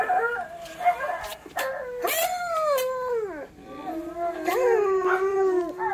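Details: An Alaskan Malamute puppy gives drawn-out, wavering howls that slide downward in pitch, in response to an Alaskan Malamute and a Siberian Husky howling.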